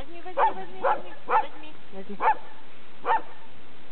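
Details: Barking from a pet Labrador Retriever: five clipped barks in fairly steady succession, roughly one per half second at first, then slowing, with faint tonal murmurs underneath.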